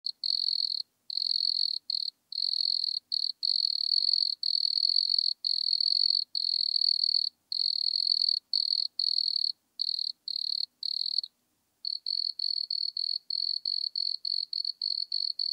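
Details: Wood cricket, Nemobius sylvestris, recorded at Altenberg, Austria, on 9 August 2022 through a Pettersson D 100 ultrasound detector: high, pure chirping pulses in long runs, then shorter rapid pulse bursts after a brief pause, no other sounds.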